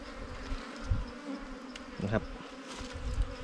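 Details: Honey-hunting season: bees around an opened wild nest of yellow comb. A continuous droning hum holds its pitch under several sharp thumps and rustles from the digging.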